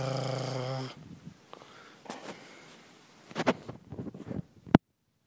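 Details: Springer Spaniel, excited and crazy for a twig, gives a low, harmonic-rich growling tone for about a second. Scattered snuffles, clicks and rustling follow, ending in one sharp knock before silence.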